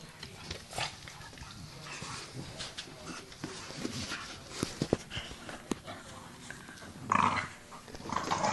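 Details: Two adult Staffordshire Bull Terriers and two tiny pups wrestle in play, giving low grumbling growls among scuffles and clicks, then a louder burst of yips and growls toward the end.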